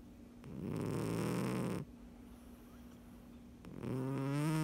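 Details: Sleeping domestic cat snoring, two drawn-out low rasping breaths a couple of seconds apart over a faint constant hum.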